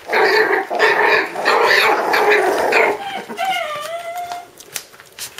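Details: Five-week-old puppies indoors giving a run of loud, harmonic yelping cries in quick succession, followed by a thin, high, wavering whine that slides downward before fading into soft shuffling noises.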